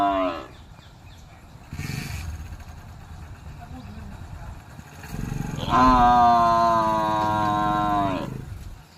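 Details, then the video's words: A buffalo calls with one long, loud, deep, harmonic moo lasting nearly three seconds and holding a fairly even pitch. Brief noisy bursts come before it. "buffalo making buffalo sound buffalo voice"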